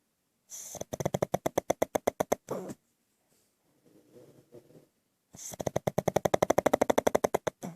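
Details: Pug asleep and snoring: two long runs of rapid rattling, fluttery pulses, about a dozen per second, each burst lasting around two seconds, separated by a quieter, softer breath in between.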